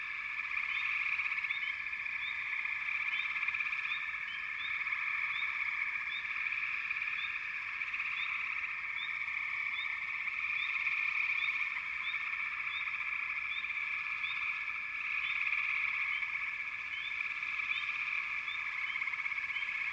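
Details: Backwater frog chorus, many frogs calling at once: unbroken shrill trilling drone with brief upward chirps scattered regularly across it, loudness swelling and easing gently.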